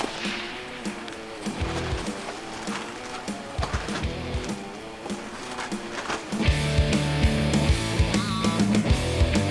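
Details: Rhythmic music with heavy bass and guitar-like tones plays throughout, growing louder after six seconds, with no animal sound heard.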